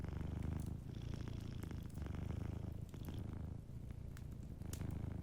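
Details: Gentle purring from a sleeping cat, a deep rumbling drone rising and falling in regular breaths, with faint fireplace crackle in the background.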